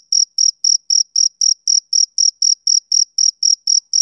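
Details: Close, loud chirping of a male cricket on a summer evening: about fifteen sharp, high-pitched pulses in four seconds, each brief and evenly spaced, with silence between them.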